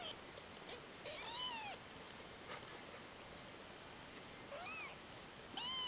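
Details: A pile of ten-day-old kittens crying. Three high mews come in quick succession, shrill and arched, the middle one short and faint. Quiet hiss and small clicks fill the pauses.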